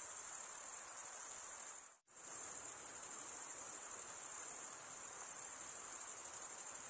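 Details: Stridulating crickets keep up a shrill, continuous high trill. The sound drops out sharply for a split second near the two-second mark, then the steady ringing resumes without any other sounds.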